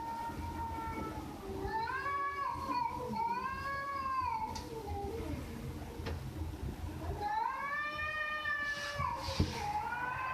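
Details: Pet cat producing several arched, rising-then-falling meows, two close together early on and another after a pause, with quieter low murmurs between them and light background noise.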